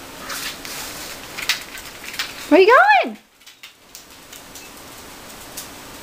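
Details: Mamie, a dog of about 6 or 7 given to the family, is an outside dog learning to be an inside dog. She gives one short whine that rises, then falls, lasting about half a second. There is faint talk and indoor noise before it.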